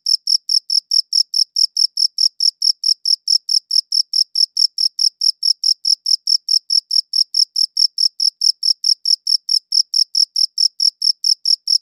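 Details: Crickets chirping, one shown on a light blue background; high-pitched regular chirps repeated about 140 times a minute, steady and evenly spaced, with no other sounds.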